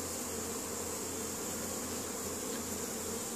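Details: Spring foraging honey bees bringing pollen back to the hive in Caribou, Nova Scotia, Canada, May 10, 2015; many bees make a continuous, even, buzzing drone with a faint hiss, and no other clear sounds.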